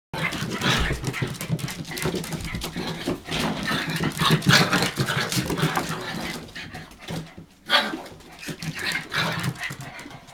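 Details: Hokkaido dog puppies, 65 days old, from the dog Hana's litter, recorded 18 February 2011 while hesitating about climbing down; quick breathy panting comes in rapid bursts, with rustling and soft human voices mixed in.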